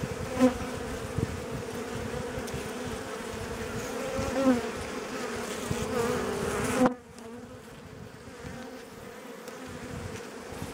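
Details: Honey bees buzzing around an opened hive in April, the colony aggressive during inspection and replacing its own queen: a dense, even drone with brief louder passes, then dropping abruptly to a quieter hum after about seven seconds.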